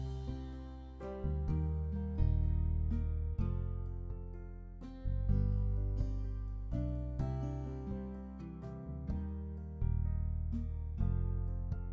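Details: Gently strummed acoustic guitar music plays throughout, with no barking or other animal sound.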